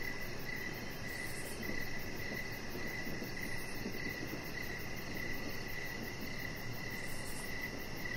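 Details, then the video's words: Crickets calling outside in the evening on a deck: rhythmic short chirps, around two per second and slightly uneven, with a soft high pulsing buzz and a steady low rumble in the background. "3 Hours Of Chihuahua Puppy Laying On Deck with Cricket Sounds"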